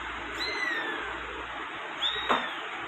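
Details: Persian kitten giving two thin, high meows that slide downward in pitch: the first long and drawn out, the second shorter, coming about one and a half seconds later. A steady soft hiss lies underneath.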